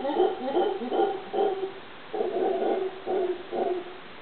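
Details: Howler monkey calling at Cahuita, Costa Rica: a run of deep, hoarse, pulsing grunts in rhythmic bursts, each group of throaty pulses separated by brief gaps.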